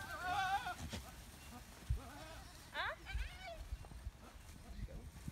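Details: Goats on a farm, about to be let in, bleat in two wavering, quavering calls near the start and again around the middle, with a man's voice speaking nearby and low rumbling background noise.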